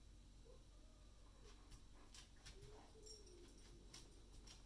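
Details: Ace, a German Shepherd, trying to get the cat to play with him: soft, thin whimpering tones rise and fall in several brief whines, the longest near the end, over quiet rustling and faint clicking sounds.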